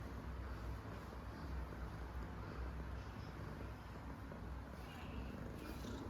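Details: Coco, an 11-month-old female Domestic Short Hair kitten from Kuala Lumpur, calm yet playful and attention-seeking, purring in a low steady rumble throughout with faint room hiss.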